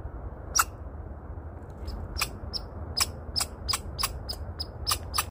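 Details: A squirrel at a bird feeder gives a series of sharp, high chirps, spaced unevenly over a steady low rumble.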